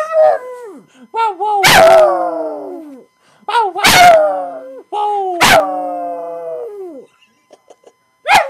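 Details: Romeo, a pet pug, howls for his owner: long wavering howls that rise then slide down in pitch, about four drawn-out cries separated by short pauses, each punctuated by sharp bark-like bursts, with a final yelp at the end.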